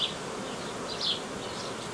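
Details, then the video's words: Honey bee swarm being tended by a beekeeper in Romania on 18 May 2018, queens from the previous year or older; a steady, even insect hum with higher whining tones rising briefly near the middle. "Ingrijirea unui roi de albine"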